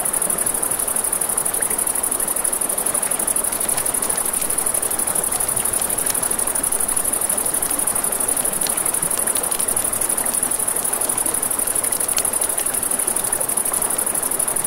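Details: Night crickets beside a river keep up a continuous high-pitched ringing trill, layered over the constant wash of flowing water and scattered small pops and ticks from a crackling campfire.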